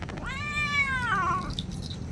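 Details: Domestic cat that dislikes being bathed, giving one long drawn-out meow that rises, then slides down over about a second and a half, against a low background rumble.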